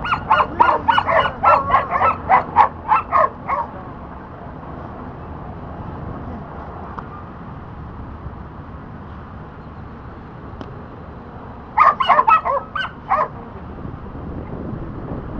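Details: Border Collie named Dante during disc dog training, working on the back vault: bursts of sharp rapid barks, about eight in the first four seconds, then quiet with distant background noise, then another quick cluster of barks near the end.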